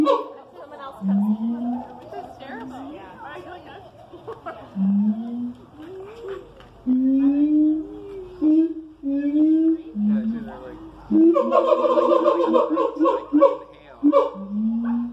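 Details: Siamangs at the Columbus Zoo, filmed in the morning, give a series of rising, booming hoots, each swelling upward in pitch, building into a louder, dense bout of overlapping barks and whoops near the end.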